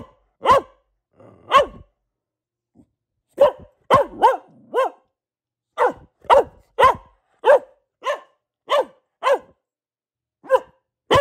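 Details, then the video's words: Pet Boxer Luna, female, barks in irregular bursts: two separated barks, a quiet stretch, then rapid runs of sharp, ringing barks with short gaps. "Relaxing Barking from our Dog - Luna the Boxer"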